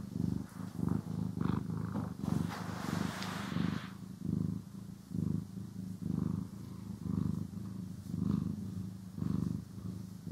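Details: Pet cat purring during grooming and brushing, a deep rumbling purr rising and falling with each breath, roughly one pulse per second, with a brief brushing rustle in the first few seconds.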